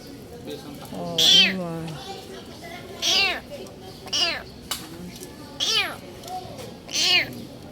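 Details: Kitten with its paws crushed after being trapped under a vehicle, being rescued: a voice speaks first, overlapping one meow, then four clear, high, arched meows follow roughly every second to second and a half.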